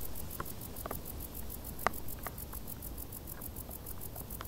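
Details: Tall-grass crickets on a hot summer day: shrill pulsed chirps repeating at a quick even rate, joined by several scattered ticking clicks and a constant low rumble beneath.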